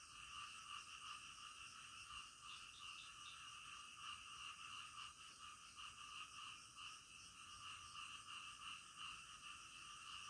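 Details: Frogs at night keep up an unbroken chorus of quick, rattling croaks. Bright pulses recur several times a second over a constant wall of overlapping calls.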